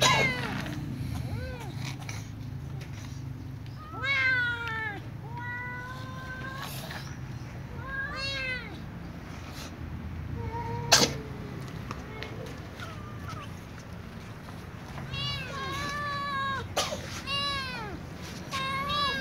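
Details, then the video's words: Meowing before a meal from a little ginger cat and a young white cat among other cats: many overlapping bent, harmonic meows in bursts, rapid clustered calls near the end, one sharp click, constant low hum behind. "Little ginger cat and young white cat meow before eating with other cats"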